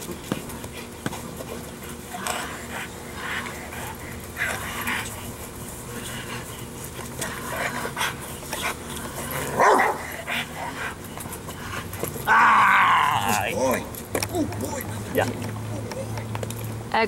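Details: A Rottweiler gives a few deep, harsh barks during agitation training with an arm sleeve, over steady background noise and brief human voices.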